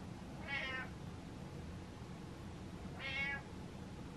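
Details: House cat asking for the lights on in the dark: two brief, bright meows about two and a half seconds apart against faint background hum.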